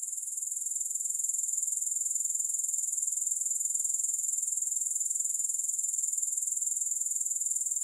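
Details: Grasshoppers giving a continuous, thin, high-pitched pulsing trill that builds slightly at the start and then runs evenly, with no music or voices.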